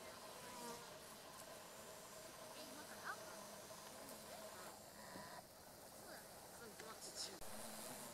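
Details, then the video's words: Two female carpenter bees, Xylocopa appendiculata circumvolans, buzz-pollinating meadow-rue flowers along a railway beside a rice field in Japan, mid-August 2013; a quiet, steady droning hum with layered tones, faint background hiss and occasional brief clicks. "Buzz Pollination by Carpenter Bee クマバチ♀がアキカラマツの花で振動集粉"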